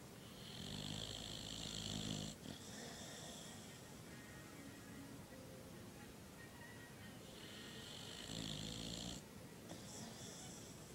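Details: A dog asleep, snoring in long raspy, hissing breaths, one loud rattling snore at the start and another about seven seconds later, softer wheezy breathing between, over steady background noise.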